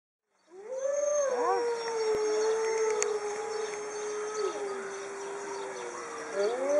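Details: Alaska wolves, eating a rabbit head and howling after the meal; several long, steady howls overlap throughout, sliding up at the start, holding a level pitch, then rising again near the end, with faint higher howling voices layered above.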